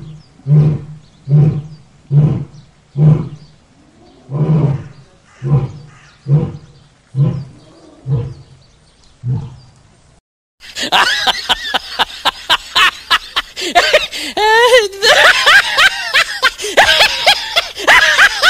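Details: Lion at play gives short, deep grunting roars roughly every second for about ten seconds, fading toward the end, then a dense, high, chattering mix of other sounds takes over.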